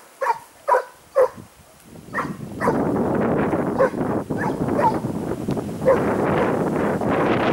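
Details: Training outing for a Segugio Italiano in Sofiko, Evros, Greece, on 12 May 2018: three clear, evenly spaced barks open, then heavy brush noise covers a few scattered yelps.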